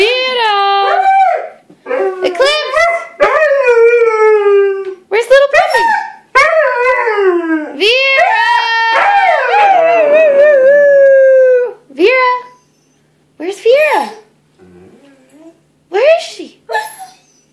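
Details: Two Siberian Huskies howling together to help their owner find the other dogs; long wavering howls rising and falling and overlapping, broken by short gaps, ending in a few quieter brief howls.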